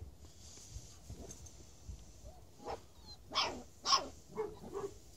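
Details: Presa Canario dog imported from Spain; a few short broadband barks and huffs rising in loudness toward the end, with quieter snorts and a steady high hiss in the background.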